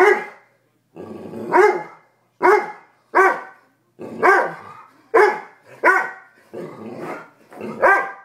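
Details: A pet dog named Toby freaks out in the basement over a raw chicken foot he fears to touch. He gives loud, hoarse barks about every half second to second, some doubled, with no other sounds.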